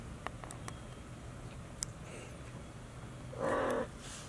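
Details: Two-month-old Maine Coon kittens, sibling pair Ranmaru and Benio, born on 22 March at a Tokyo cattery. After quiet indoor rustling and a few clicks, a single short harmonic meow sounds near the end.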